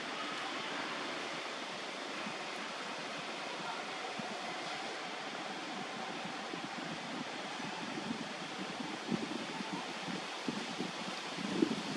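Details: Steady broadband hiss like wind or a fan runs throughout, with a few soft knocks near the end and no animal voice.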